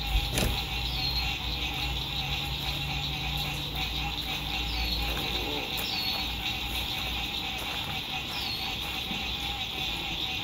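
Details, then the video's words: Sunset frog chorus by a lake during spring 2021 RV camping: a constant high-pitched trilling wash, a handful of brief falling chirps, a knock near the start, and steady low road noise throughout. "Sunset Frog Songs"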